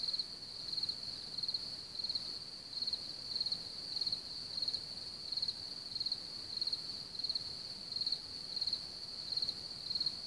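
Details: Crickets from one of the largest populations in Bohemia, around Hamr near Chlum u Třeboně, Czech Republic. A high, shrill chirping chorus pulses in short bursts roughly every half second, over faint low rumbling background noise.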